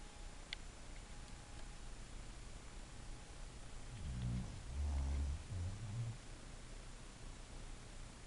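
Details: A sleeping English Bulldog snores indoors: one low, rumbling breath around the middle, with a quieter lead-in, then a quiet room with faint rustling.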